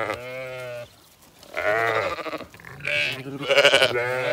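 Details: Demanding Zwartbles flock trailing the farmer with an empty bucket in County Kilkenny, Ireland, just after the rams' feeding; a steady bleat, a brief gap, then louder, wavering, overlapping bleats from several ewes or lambs.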